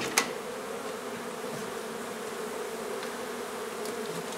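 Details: Hive hum of honey bees relocated from an old house being renovated in Donna, Texas: an even, low droning buzz with one sharp click near the start.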